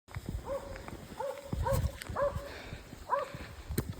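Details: Alpine Dachsbracke named Falco barking while tracking a wild boar shot high on the spine, on 6 August 2024; a series of short harmonic barks repeating about every half second, with rustling footsteps in vegetation.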